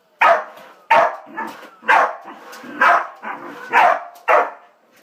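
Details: A corgi barks at a vacuum cleaner in sharp, loud bursts, roughly one a second, over the machine's steady mechanical hum.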